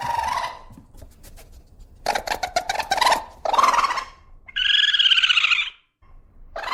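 A raccoon gives harsh, rapid chittering bursts followed by a drawn-out, wavering squeal.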